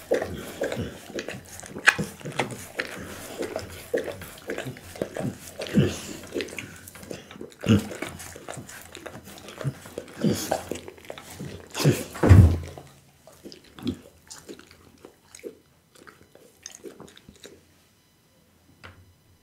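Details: Chewing of raw food by Bounce, a pet pit bull, on a diet that includes lamb spine, beef kidney and horse meat. Heavy crunching bites come for about twelve seconds, then fade into quiet with a few soft sounds.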